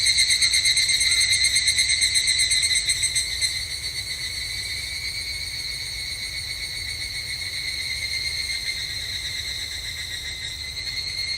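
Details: Evening cicada (higurashi) calling at a Japanese temple in summer: a high, shimmering, rapidly pulsed trill with ringing overtones that is loud at first and then drops to a softer, steady level partway through.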